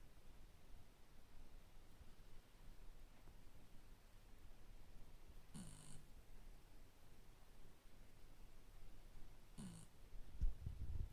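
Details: Shiba Inu named Nuts asleep and snoring: a faint, steady low rumble of breathing with two brief, louder snorting breaths about four seconds apart, in a quiet room.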